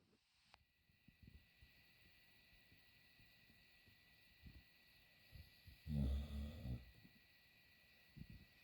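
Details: Sleeping dog snoring softly: low, rumbling breaths that come and go at irregular intervals, with one louder, rougher snort near the six-second mark, over a steady faint high hum in a quiet room.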